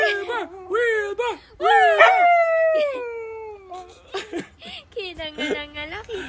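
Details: A husky howls along while its owners rap, giving warbling, singsong calls and wavering, drawn-out yodelling howls that slide up and down in pitch, one stretched into a long falling howl, with human talking and singing in between.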